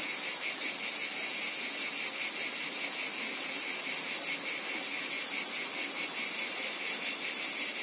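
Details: Dense, shrill buzzing of cicadas, steady throughout, with a rapid rhythmic pulse of roughly four beats a second running under the hiss.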